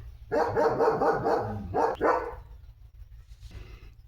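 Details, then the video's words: Leo the German Shepherd barking during daily command practice at home: a rapid run of harsh barks in the first second and a half, a short pause, then two more, trailing into quiet with a faint rustle. "Leo The German Shepherd चा आजचा दिवस | Commands, Bark & Car Jump Fun Vlog"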